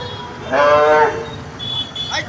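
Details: Cow in Bangladesh giving a single loud, harmonic moo of about half a second, steady then fading, with people talking and crowd noise around.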